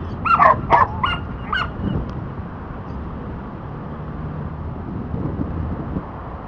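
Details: Dante, a Border Collie in disc dog training for the back vault, gives a few quick yipping barks in the opening two seconds, then falls quiet against a continuous low background noise.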